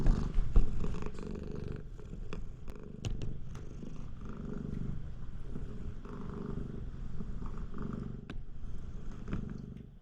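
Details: Loud purring from a Siamese cat trying to keep its owner out of the bath, a steady low rumble with rapid throbbing pulses, broken by a few sharp clicks and knocks.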